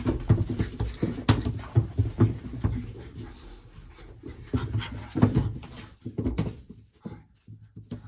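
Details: A playful French Bulldog trying to catch fingers gives deep, throaty grunts and snuffly huffs in quick uneven bursts, with soft thumps and knocks between them in a small room that grows quieter toward the end.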